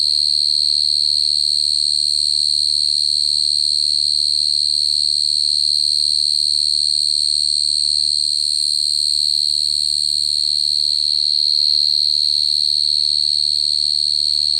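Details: A cricket's continuous shrill trill, even and high-pitched, rising and falling only slightly in loudness over its length, with a faint low hum beneath.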